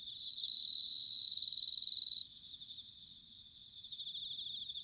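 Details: Ringing autumn song of bell crickets at Sanuki in Chiba, Japan: a close insect gives two loud, high, bell-like trilled phrases lasting about two seconds, then a softer rhythmic pulsing chorus continues from more distant callers.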